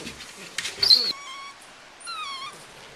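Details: Jessie, a 9-week-old Welsh Terrier puppy, on a lead with her sister nearby. A brief rustle, then two thin, high whines: a steady one, then one that bends slightly up and down.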